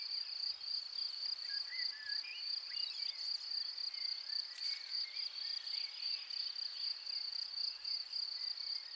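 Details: Field cricket at its burrow, chirping without pause: a steady, piercing high tone pulsed into rapid trills that repeat several times a second for the whole stretch, with faint thin squeaks and scratchy rustles underneath.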